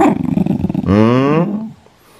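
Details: Shiba Inu just woken up and angry after being spoken to, growling: a rough pulsed rumble for nearly a second, then a louder drawn-out snarling growl that fades out.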